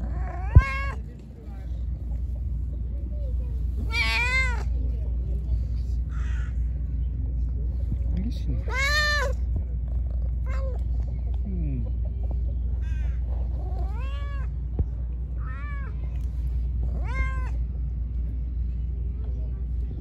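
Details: Hungry, angry pregnant stray cat, given food before it attacked, gives about six loud, drawn-out meows spread over twenty seconds, each rising then falling in pitch with rich harmonics, over a steady low rumble.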